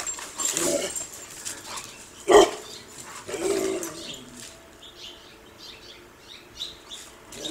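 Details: Dog after a squirrel lets out one sharp, loud bark midway, preceded and followed by muffled huffing vocal bursts, then quieter rustling and faint high chirps toward the end.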